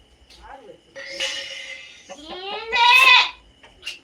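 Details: A long, loud native goat bleat, wavering and slightly rising, builds to a strained, harsh peak, preceded by a softer nasal cry, over a faint steady hum.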